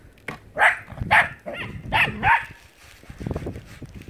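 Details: A dog playing in the snow barks four times in quick succession, short sharp woofs spaced about half a second apart, followed by softer scuffling and movement sounds.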